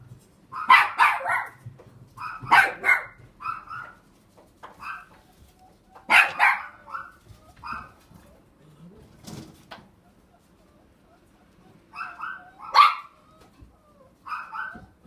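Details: Border Collie at a pet shop in Machida, Japan, giving bursts of sharp, high barks and yips in irregular groups, with quieter pauses and faint background shop noise between bursts.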